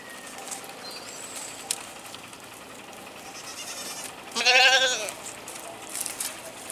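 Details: One wavering, nasal goat bleat of under a second, slightly falling in pitch, over a low hiss of background noise.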